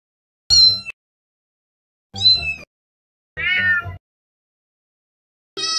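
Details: Domestic cat uttering four meows, some with a low rough undertone, the third lower and harsher, the last cut short at the end; otherwise quiet.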